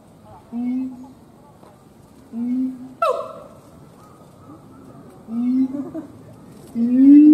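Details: Siamang gibbon howling: short, low, hooting notes that rise slightly, spaced a second or two apart, with one sharper, higher whooping cry in the middle and a louder rising hoot at the end.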